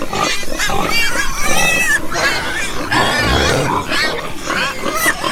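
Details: Farm pigs heard in a dense chorus of overlapping grunts and short harmonic squeals, several voices calling at once with a low rumble beneath and brief rising squeaks throughout.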